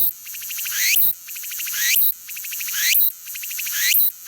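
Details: Self-recorded cicada of unnamed species singing a harsh, pulsing buzz that climbs in pitch to a sharp peak and drops, repeated about once per second in four even phrases, with only faint background beneath.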